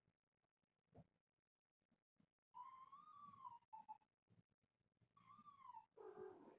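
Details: Kittens from a litter of four with their one-year-old calico mother, wrestling and playing indoors around a hammock. Two drawn-out, slightly falling meows, with soft thumps and scuffles of play between them.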